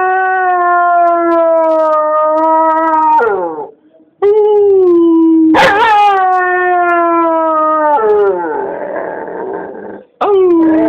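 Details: Howling from Copper, a dog: long level harmonic notes held two to three seconds, a sharp yelping onset midway, then a rougher, wavering howl before a final rise.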